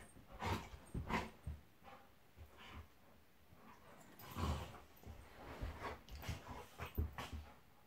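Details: Two pet dogs, Monty the Golden Retriever and Eric the Labrador, play fighting: deep, throaty growls and grunts come in bunches, with a louder flurry near the middle.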